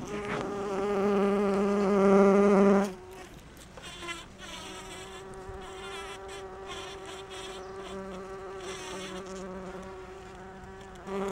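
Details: Bumblebee foraging on rhododendron blossoms for pollen: a strong, low buzzing hum with many overtones for about three seconds, then a softer, slightly shifting drone that persists to the end.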